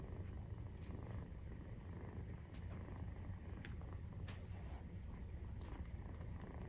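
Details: Maine Coon cat purring while nursing, kitten 43 days old, indoors; steady low rumbling purr runs throughout with a few faint soft clicks and rustles over the top.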